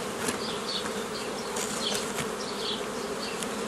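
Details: Hum of many honey bees while a hobby beekeeper divides a forager swarm into nucleus colonies, 15 May 2018; steady drone with repeated short, higher buzzes of single bees passing close.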